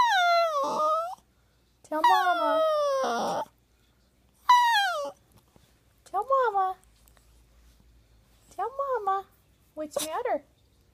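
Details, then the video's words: Poodle Buddha, crying indoors, produces several separate high whines that fall in pitch, then shorter, quieter yelping whimpers spaced a few seconds apart, with silence between them. "Crying talking poodle dog"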